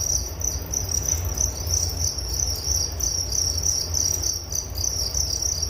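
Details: Shrill cricket chirping in quick repeated pulses, roughly 190 per minute, with a low rumble running beneath.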